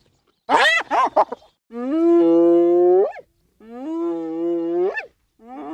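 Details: Hyena calling with long, low tonal whoops that hold steady and then swing sharply upward at the end, separated by short silences and preceded by a brief burst of harsh, high yelps.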